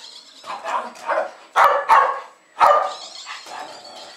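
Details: Two Jack Russell Terriers, Jasper and Jaclyn, about two and a half years old, barking excitedly to greet a woman returning home in Lenexa, Kansas, on 15 February 2010; sharp barks and yips in bursts with a pause between.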